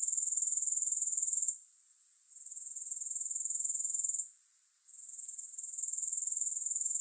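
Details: Grasshopper chorus without music: a shrill, rapidly pulsed high trill that twice drops away to a softer hiss for about half a second to a second before building back up.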